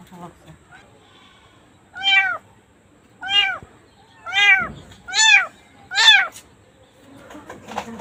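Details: Cat or kitten giving five loud, bright meows in a steady series, each a short arched cry sliding up then down, about one every second, with faint rustling and handling noise at the end.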